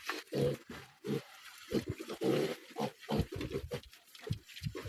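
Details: Farm pigs roaming outside their pen in the Philippines during fine weather; deep, rough grunts repeated in quick bursts about every half second, loud and close, with some rustling noise.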